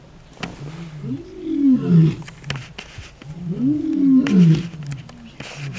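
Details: Big male lions roaring in a territorial dispute at the start of a takeover, southern Kruger National Park, morning. Deep grunting roars in two long bouts, each rising then falling, with a faint voice in between.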